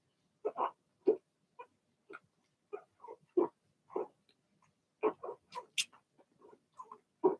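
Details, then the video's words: A litter of six Blenheim Cavalier King Charles Spaniel puppies in their indoor pen bark excitedly, a busy string of sharp yips and squeaky whines tumbling over one another, with one high squeal near the end. "Cavalier Puppies Bark, Howl"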